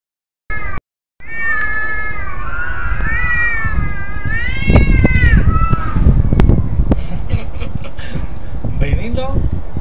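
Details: Domestic cat making its odd noise before attacking another cat: a long, wavering, whining yowl rising and falling in pitch for about four seconds, followed by a person's voice saying "no no no" and handling noises.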